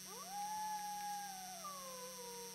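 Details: Friendly wolf howling back and forth with a friendly human: a tone that swoops up quickly, holds a long level note, then eases gradually lower toward the end, over a constant electrical hum.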